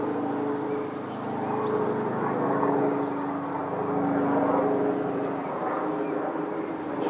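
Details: Red-tailed bumblebee at Ceanothus 'Italian Skies' flowers gives a loud, steady, slightly wavering hum with clear layered tones, rising and falling gently in volume; faint high bird chirps are heard behind it.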